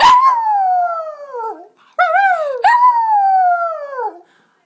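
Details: A female Lhasa Apso howls in long, high, wavering tones that slowly slide downward, singing along as her owner joins in.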